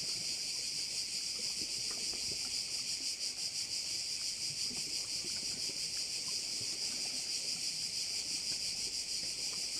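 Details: Crickets at one of Korčula's bays in Croatia keep up a loud, even, shrill buzzing chorus with a gentle rhythmic throb of about three beats a second, while faint low outdoor noise sits underneath.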